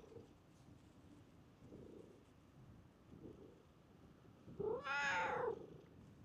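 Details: Park stray cat approaching a familiar face: a few faint, soft chirps early on, then one loud, bright, wavering meow lasting about a second near the end, with quiet outdoor background.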